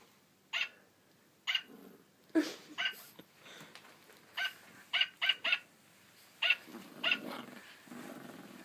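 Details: Puppy barking at a jingle bells singing Santa toy dog it has always hated: sharp, short barks repeated in quick bursts, about ten in eight seconds, with softer growly noises between them.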